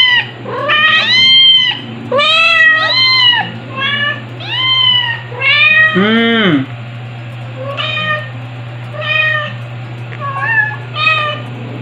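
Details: A run of about ten shrill meows from Stuart, a two-month-old white male kitten nursed by two mother cats, July 2022; calls come rapidly at first, one long wail slides downward midway, then shorter cries fade out over a low background hum.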